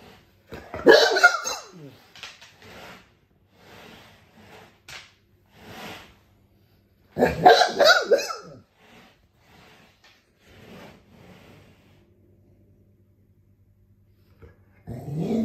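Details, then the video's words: Dogue de Bordeaux trying to annoy its owner: two loud, harsh bark bursts near the start and midway, with softer short grunts and whines scattered between and a final bark starting at the end. "Dogue de Bordeaux - Dog try to annoy owner."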